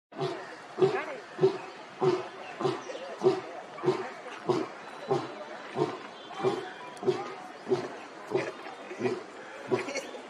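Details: Lion in Katraj Zoo, Pune, recorded with a Nikon P950: a steady series of short, hoarse grunting calls, one about every 0.6 seconds, roughly seventeen in ten seconds, each a brief burst with a mid-low tone.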